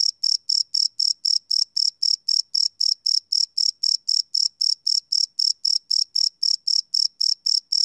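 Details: Crickets chirping at night, recorded live without loops on a Sony PCM D100 field recorder: a high, bright pulse repeated evenly about four times a second, steady throughout with no other sounds.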